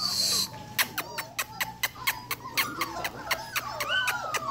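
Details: Belgian Malinois puppies, one month old, from a litter of ten born to Vibory, give thin whining whimpers that bend and slide, overlapping one another, amid a series of sharp regular clicks and a brief burst of noise at the start.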